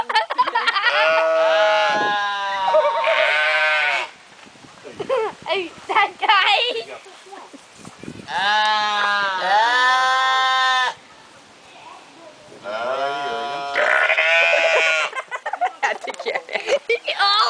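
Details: Bleating sheep, three long quavering harmonic cries spaced by quieter gaps filled with rough, clicking, burp-like sounds; the bleats swoop up and down in pitch like someone talking.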